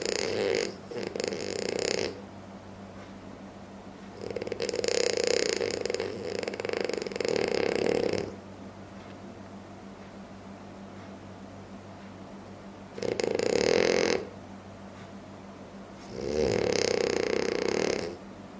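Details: A sleeping French Bulldog snores loudly in harsh, fluttering rattles; four bursts of uneven length, some broken into choppy pulses, separated by quiet pauses of several seconds over a faint steady hum.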